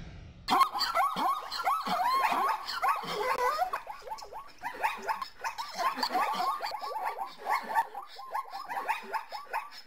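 Several zebras bark together in quick, overlapping yelps that rise and fall, a steady jumble of calls lasting the whole stretch.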